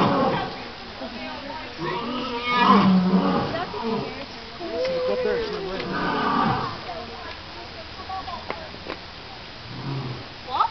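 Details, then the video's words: At Calgary Zoo, the alpha male lion roars at the crowd: deep, drawn-out roars that swell and fade, with people's voices in the background. "Lion Roaring"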